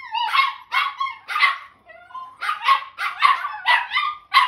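Italian Greyhound puppies howl together in high, wavering yelps that rise and fall in quick bursts.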